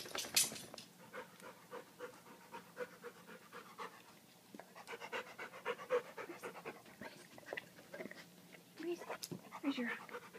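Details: Steady fast panting from London, a dog indoors with his new favourite creek rock, runs throughout, with a person talking over parts of it and a few sharp knocks.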